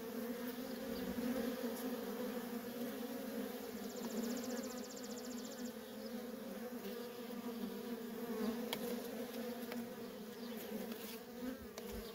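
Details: Constant hum from the busy traffic of worker honey bees at a feral colony, an even two-tone drone that never breaks, with a brief thin high ticking trill in the middle.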